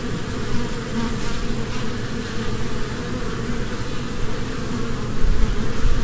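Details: Continuous low buzzing of foraging honeybees moving from flower to flower in spring, a thick steady drone that swells slightly louder in the last second.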